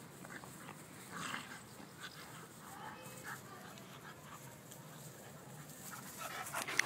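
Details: Two pet dogs, a schnauzer and a beagle, play-fighting; soft whines and low grumbling growls rise now and then over a steady background hiss, ending with a sharper yip.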